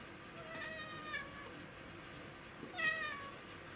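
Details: Black domestic cat in hunting mode, trying to catch an insect, recorded 20 August 2017: two short, clear harmonic meows about two seconds apart, the second brighter and slightly falling, over a steady low indoor hum.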